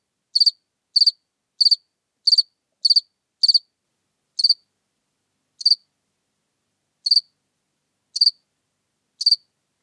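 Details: House cricket chirping in Seewiesen, Germany, on 4 January 2021: a quick run of evenly spaced high chirps about every 0.6 seconds, then slowing to chirps spaced over a second apart; quiet background.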